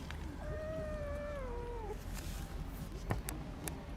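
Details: Rescued stray kitten, abandoned and found after two days in -11°C snow, gives a single drawn-out meow, fairly low and even before dipping at the end, followed by soft clicks and rustling.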